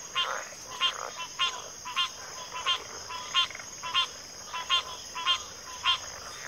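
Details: Frogs calling in a backwater chorus, each call a short, harsh, ratcheting croak repeated about twice a second in a fairly even rhythm, over a persistent high insect drone.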